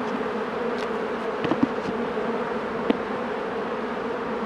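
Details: Low, even droning of honey bees at the hive during a beekeeper's inspection, with sparse knocks and clicks from handling scattered over the constant hum.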